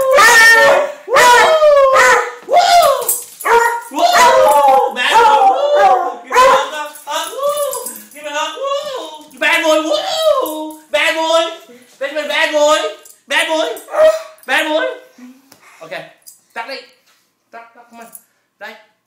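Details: A beagle crying at home when its owner is present: loud, drawn-out wavering howls and whines, rising and falling in pitch, repeated in bursts, fading to short softer whimpers near the end.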